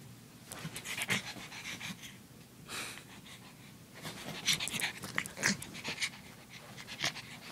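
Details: Snuffly, huffing breaths from a female pug puppy, uneven bursts of breathy snorts, some stronger puffs clustered in the latter half.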